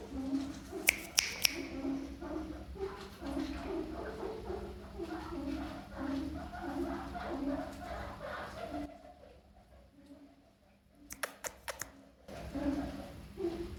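A guinea pig gives a run of low, horn-like honks, about two each second.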